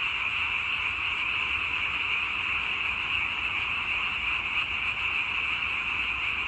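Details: Massed frogs croaking as one continuous, even, high-pitched buzz with no pauses or breaks in the chorus and no other sounds clearly heard.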